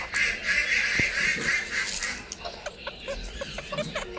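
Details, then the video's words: Newborn baby rabbit screaming and crying: a shrill, high-pitched sustained wail fills the first two seconds, then breaks into fainter, scattered short squeaks with light background rustle. "Newborn, Cute Baby rabbit screaming / Rabbit Crying"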